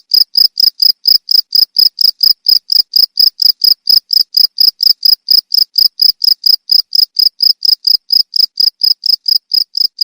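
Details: Steady cricket chirping for training songbirds, bright shrill pulses at a fast even pace, about four per second, unchanging from start to finish.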